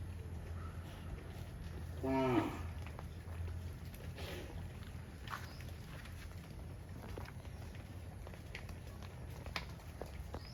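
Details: A cow heading back to the barn gives a single strong moo of about half a second, sliding slightly, against a constant low hum and soft rustling.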